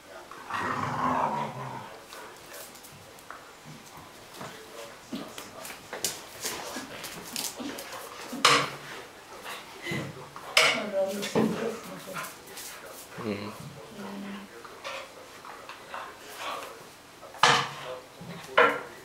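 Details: Two Irish Soft Coated Wheaten Terriers, Nisse and Elsa, playing together in bed indoors: short growls and yips in irregular bursts, with rustling bedding and a few loud sharp peaks.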